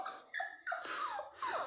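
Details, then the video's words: Toy Pomeranian crying for its owner: three short, high whimpers in quick succession, each a thin tone dropping at the end, inside a small room. "naughty toy pom 😍 is crying for mom"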